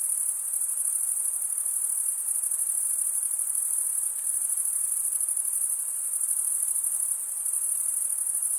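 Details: Crickets chirping by stridulation, males rubbing wing over toothed wing vein; dense continuous high-pitched trilling chorus, steady and unbroken, with faint lower background hiss.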